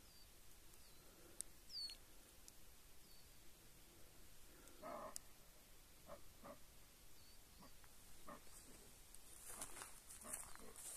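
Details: Roe deer recorded at the Rema ts' Kourmoukiaraioi stream gully in Greece on the morning of 3 September 2020. Short, harsh, bark-like bursts come near five, six, eight and ten seconds. Faint high bird chirps sound over a quiet outdoor background.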